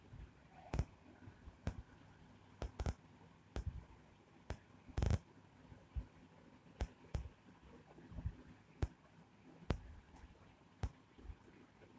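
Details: A quiet room carries scattered sharp clicks and soft knocks, with no animal voice.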